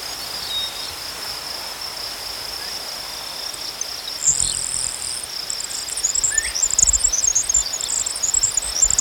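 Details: Crickets keep up a continuous high trill; after a few seconds a second, higher insect chirp starts, repeating in rapid bursts toward the end alongside faint rustling.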